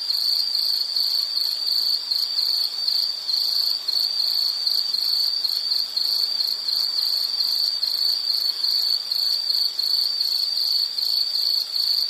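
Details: A continuous high, shrill insect trill from a nature recording, sustained on a single pitch with fast, even pulsing and a faint higher overtone, nothing else audible.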